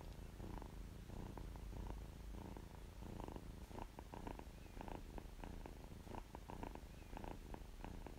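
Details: Contented kitten purr: continuous deep rumble with a pulsing texture and faint clicky accents scattered through the eight seconds, close and intimate, no other sounds.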